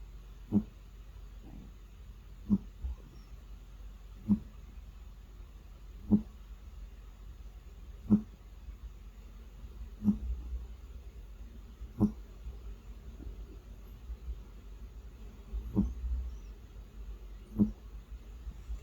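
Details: Domestic cat asleep and snoring, recorded unedited indoors: brief low snoring puffs recurring about every two seconds, fairly steady, over a faint hum.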